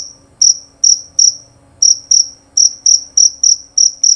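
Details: Jerabang cricket, a male prized in Indonesia for its loud, clear chirping. High, shrill pulses come in uneven bursts of two or three, broken by short pauses, over a quiet background.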